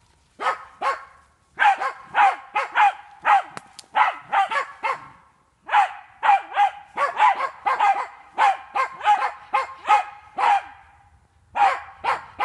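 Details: Jagd terrier at a wild boar training park, baying at boar; rapid, insistent barking in long dense runs with only short gaps between volleys.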